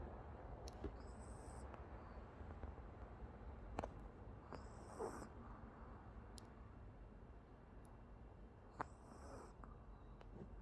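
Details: Oki the Pomeranian snoring in sleep, with airy high-pitched whistling snores every few seconds, occasional soft ticks and snorts, and a faint low hum throughout.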